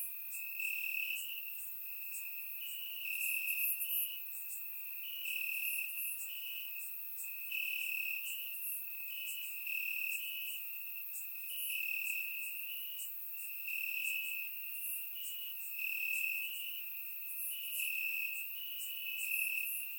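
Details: Crickets chirping in the grass on a warm summer night, Bulgaria, surround recording: a constant high shrill trill with regular louder pulses swelling about every two seconds across many overlapping insects.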